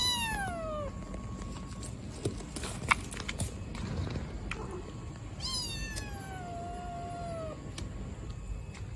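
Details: Baby black kitten left in a trash box on the street calls loudly, several high falling meows, one at the start and a longer drawn-out cry later, with soft knocks and low background rumble between calls.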